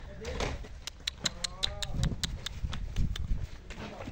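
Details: Nelore calves offered for sale in Tabira, Pernambuco, Brazil: a brief, faint bawl with a wavering tone in the middle, over clattering knocks, shuffling and a man's voice.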